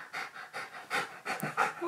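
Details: Needy pet husky panting at home while its owner works from home: rapid, breathy, noisy bursts of roughly four per second, with brief faint voice fragments mixed in.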